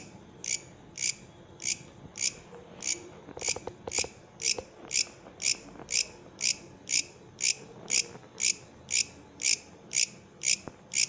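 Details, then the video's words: Singing katydid (bush cricket) produces regular shrill buzzy pulses roughly every half second, over twenty in sequence, evenly spaced and strong, with a soft low rumble and a few faint clicks beneath. "Katydid, bush criket singing"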